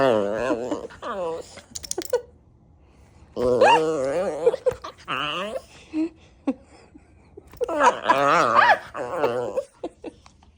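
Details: An Alaskan Klee Kai at sundown, getting feisty, gives wavering, rising-and-falling yodels, whines and howly 'talking' in bursts several seconds apart, a person's voice briefly between. Finding: Alaskan Klee Kai.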